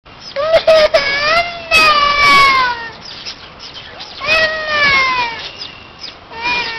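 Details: Small Indian civet giving loud drawn-out mewing calls, rich in overtones, each sliding downward in pitch, delivered in two bursts of several overlapping cries separated by a quieter pause, with a few sharp clicks.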